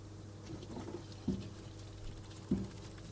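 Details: Degus mating, the male told apart by white fur around the neck; two short, low grunting calls sound about a second apart over a steady electrical hum and soft rustling.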